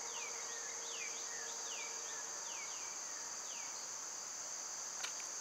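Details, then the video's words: Summer cicadas fill the background with a steady, high, unbroken hiss-like drone, while a bird repeats short, sharply falling chirps throughout. "Cicada sounds"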